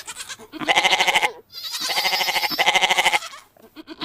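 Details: Three bleats from a goat, each with a rapid vibrating pulse and a bright, nasal tone, separated by short dips.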